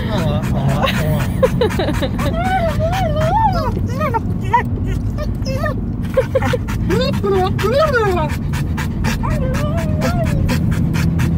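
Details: Car-riding dog keeps up a chatty run of yodel-like sounds, many short rising and falling warbles one after another, with engine hum throughout.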